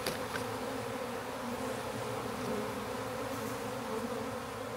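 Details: Honey bees swarming in a backyard while being captured into a hive: continuous even buzzing drone, thick and unbroken, with faint clicks at the start.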